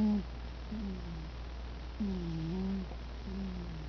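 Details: Mitty the cat asleep and snoring indoors: low, droning rumbles with a soft tonal edge, one long breath after another at roughly one-second intervals, in a quiet small room with steady low hum beneath.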